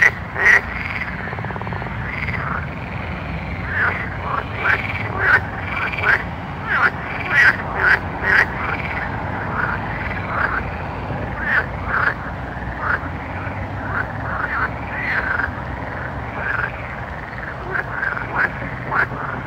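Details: Night frogs keep up a dense chorus: sharp croaks come roughly once or twice a second throughout, over overlapping warbling calls and a continuous low-pitched ambient hum.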